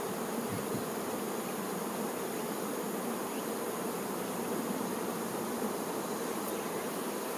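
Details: Honey bees, workers busy around the queen, giving a loud, even droning buzz from countless wings, steady and unvarying throughout.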